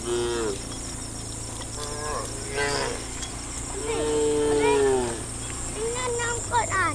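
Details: Dozens of tame cows walking through a morning forest toward a farm pen; several overlapping moos, some short, others drawn out and sliding downward, calling back and forth over a steady high insect hum.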